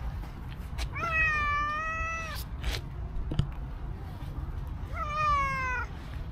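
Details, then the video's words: Cow cat, a stray seeking affection, walking up to a person: two long, even meows about four seconds apart, each slightly descending, separated by soft taps and clicks over a continuous low outdoor drone. "Incredibly Cute Cow Cat came to me with sweet meow"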